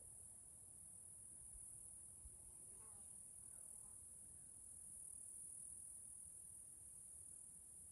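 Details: Cicadas in Washington State forest, Pacific Northwest, hold one steady piercing buzz. A few faint sweeping chirps sound midway above a soft, low background rumble.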